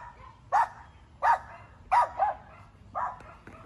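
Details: A dog barking: five short, sharp barks spaced roughly a second apart, the third and fourth close together, over a quiet low background hum.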